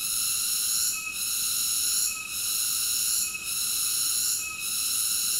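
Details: A cicada's steady, piercing buzz, rich in layered high overtones, broken by short softenings roughly once a second in an even rhythm, with nothing else audible.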